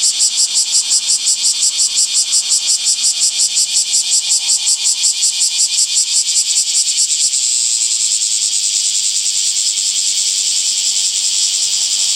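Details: Summer cicada call: rhythmic high buzzing pulses, roughly three per second, run for about seven seconds, then blur into a smooth continuous drone until the end.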